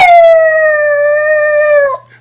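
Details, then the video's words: Sweetie, a female pet dog, singing on command: one long steady howl held at an even pitch for nearly two seconds, then falling away at the end, with rich clear harmonics and a low steady hum beneath. "Sweetie singing her heart out!"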